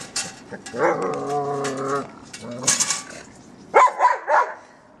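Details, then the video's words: German Shepherd playing with a trolley, giving a few sharp barks, then a long drawn-out whine with stacked tones, then short rough barks; some rattling and a voice in the background. "German Sheperd dog plays with trolley"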